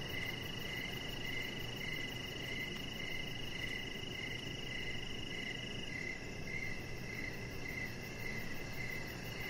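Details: Evening crickets near a deck with a resting chihuahua puppy: evenly spaced mid-pitched chirps repeat roughly every half second beneath a continuous shrill tone, with a faint ticking pulse high above and a soft low rumble throughout.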